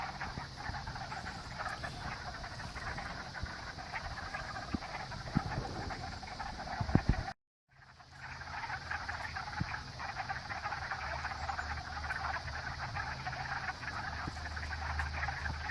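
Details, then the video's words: Pond frog chorus forming a continuous, massed trill at mid pitch, with scattered taps and thumps close by and a brief cut to silence midway before the chorus resumes. "Amazing Frog Chorus"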